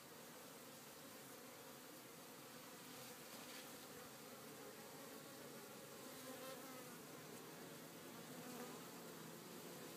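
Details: Honey bees at an Italian farm resuming their tireless work after a rainy day: a thick swarm drone with individual bees buzzing past, rising and fading over a constant hive hum.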